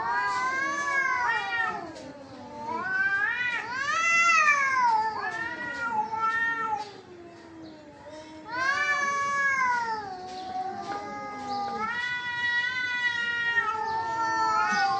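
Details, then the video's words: Domestic cats locked in a fight, yowling continuously: overlapping high wails swell and sag, peaking around four and nine seconds, with lower moaning growls woven underneath. "Cats Fighting with real sound"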